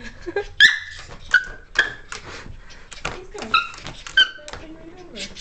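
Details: A Cairn Terrier playing with a cat's toy gives sharp, high-pitched yips and thin whines in brief, uneven bursts every second or so, while a person talks between them.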